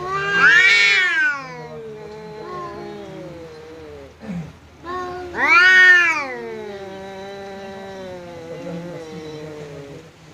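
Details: Cat fighting a visiting cat, defending itself against the guest; two loud swelling wails, about five seconds apart, each tapering into a long low drawn-out moan, with a short gruff sound between them.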